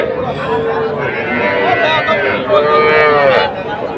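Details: Sahiwal bull calves for sale at Ambari market in Dinajpur district, Bangladesh, on 24 May 2024. Two clear, drawn-out moos, each under a second and slightly rising, stand out over a noisy crowd of talking traders.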